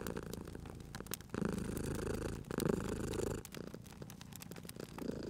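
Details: Purring cat sleeping near a fireplace; a strong, deep vibrating rumble swells for about two seconds in the middle, softer before and after, while burning logs snap and crackle in the background.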